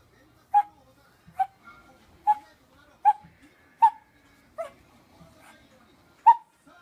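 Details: Fourteen-year-old blind Shih Tzu with terminal cancer and seizures, recorded 28 October 2017: short, sharp whimpering yelps repeating about every three-quarters of a second, fairly regular, with faint low murmurs between.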